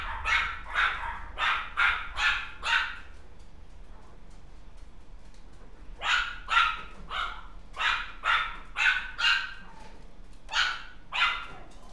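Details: Dog recorded on 28 January barking in rapid bursts: six quick barks, a silent gap, then a long run of about ten sharp barks, a short break and two final ones, over a quiet low hum.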